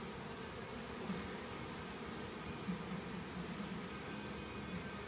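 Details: Many honey bees buzzing as their hive is cut out of an old hot water tank; a thick, continuous low droning hum with small flickers of individual bees passing close.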